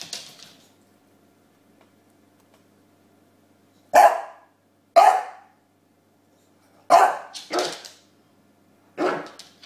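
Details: James, a bulldog, playing with his pillow, gives five short, sharp barks indoors: single barks at about four and five seconds, then a quick double bark near seven seconds and a last one near nine, with silence between.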